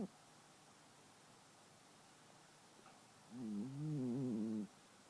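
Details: Brie, a 10-year-old longhair shelter cat, snoring as usual while asleep: after a quiet stretch comes one low, droning, harmonic snore lasting just over a second, with a soft hiss throughout.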